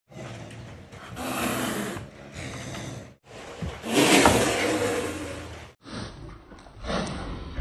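A male caracal gives hoarse, rasping growls in drawn-out bouts while seeking a mate.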